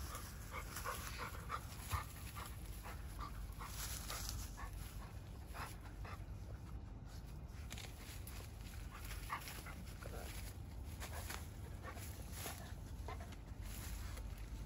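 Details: Persimmon-loving Labrador Retriever on a walk, stretching up and jumping for out-of-reach fruit. Rapid, soft, breathy pants come in irregular bursts about twice a second over a constant low outdoor hum.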